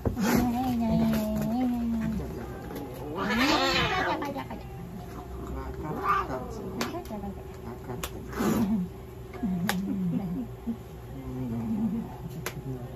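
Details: Myu, a 14-year-4-month-old Russian Blue cat weighing 2750 g, examined at a veterinary clinic while ill with bacterial cystitis, pyelonephritis, kidney disease, pancreatitis and heart failure; two drawn-out, arching meows rise and fall amid steady human conversation.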